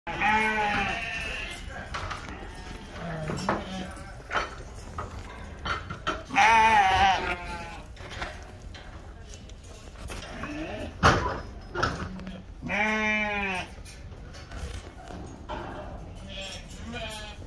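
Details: Lacaune breeding sheep from France, destined for farms in Turkey, give loud wavering harmonic bleats, several spaced through the recording, some long and quavering, with people talking in between and handling noise.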